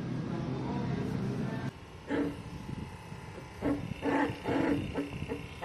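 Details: Female Labrador Retriever puppy growing up without its mother, giving short, nasal, harmonic whining calls in a cluster of four or five during the second half, after a low steady rumble at the start.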